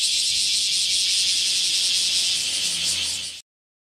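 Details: Bear cicada chorus on a hot July 2018 morning: an intense, continuous high-pitched hiss-like buzz that cuts off abruptly into silence after about three and a half seconds.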